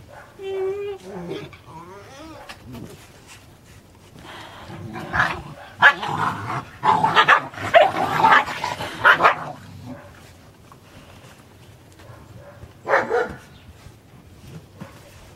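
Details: Puppies playing with a big plush dog, yipping briefly at the start, then a burst of scuffling, growly yaps and play noise in the middle, with another short yelp near the end.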